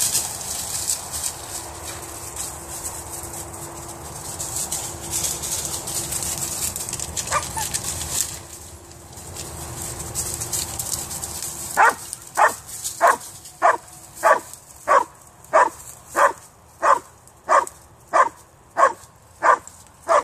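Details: Female Vizsla–Weimaraner cross, frantic at a cat seen in a tree, gives a lone yelp amid rustling, then from twelve seconds a steady run of about fourteen sharp barks, roughly two per second.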